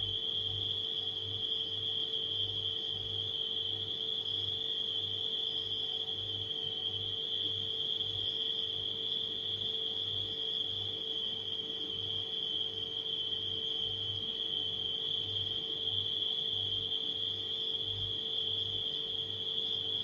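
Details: Crickets at night sustain one even, piercing trill for the whole stretch, blended with a refrigerator humming and a low throb that pulses at a regular beat.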